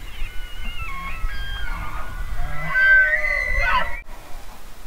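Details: Elk bugling outdoors: a high, thin whistled call with layered overtones that swells and wavers over about four seconds before breaking off, over steady low wind rumble.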